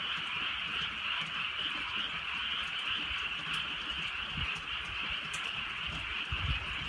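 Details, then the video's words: Frogs calling in the countryside at night during a light drizzle: a dense, continuous chorus of overlapping high trilling croaks forms a steady wall of sound, with soft rain patter and low rumbles underneath. "개구리 소리"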